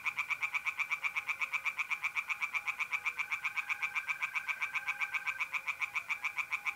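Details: A tree frog sings steadily at a north-east Italian pond in mid-April darkness, a rapid, even train of grating pulses, while a soft continuous mole cricket trill sits beneath.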